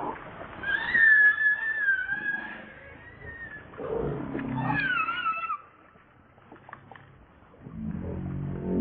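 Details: Pitiful baby monkey crying to its mother for milk; high, thin, drawn-out wailing cries that slide and waver, with low rustling and handling noise between them.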